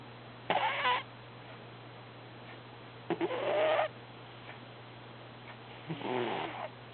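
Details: Snoring cat named Herbie in the middle of an active dream, giving rough breathy bursts with faint voiced squeaks, spaced roughly every two to three seconds against a constant electrical hum.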